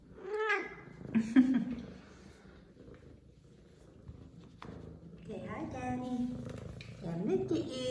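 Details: Zara, a female F2 Savannah cat, excited after missing her owner, opens with a clear arched meow, then adds a few softer vocal sounds while a woman talks sweetly to her indoors.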